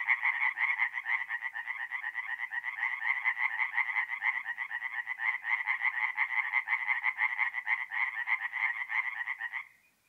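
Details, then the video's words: Forest pond chorus of singing tree frogs by night in mid-April, north-east Italy; steady rasping croaks repeated almost three times a second from many frogs, then fading to silence at the end. "relaxing forest pond by night with singing tree frogs"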